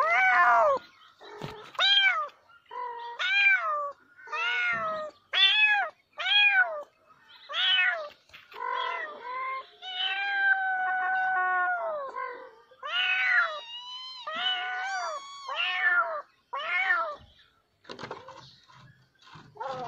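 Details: Insistent domestic cat meowing almost nonstop for twenty seconds: dozens of short, sharp, bent cries in fast bursts, a few longer wavering whines midway, ending in quieter scattered meows.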